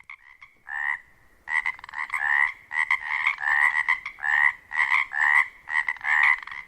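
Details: In springtime at dusk, male Pacific tree frogs calling at a wetland near a lake on Washington's Olympic Peninsula in mating season give raspy two-part ribbit calls, overlapping and repeated about once a second, to attract a mate.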